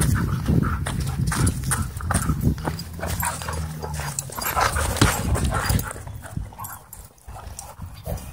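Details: Wild play among dogs at a dog park, with a steady low growl, rough huffing and scrabbling paw noises coming in rapid, uneven bursts.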